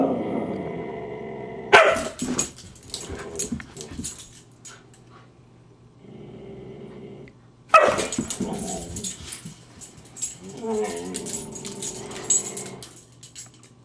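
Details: Husky Siku, annoyed by teasing puppy Loki, snapping and baring teeth: low rumbling growls broken by two sharp, loud snapping bursts with clattering noise, then softer grumbling growls in between.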